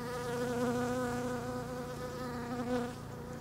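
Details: Bees visiting pink Japanese quince (japonica) flowers, flitting without settling; a loud, continuous wing buzz with a strong tonal drone that wavers slightly in pitch and fades a little toward the end.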